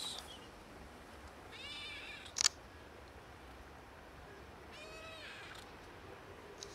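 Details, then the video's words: Hungry pregnant cat and kitten begging for food, their meows sounding broken; two short stacked-harmonic mews roughly three seconds apart, with a sharp click between them and faint outdoor noise. "Pregnant cat and kitten ask for food with broken meows"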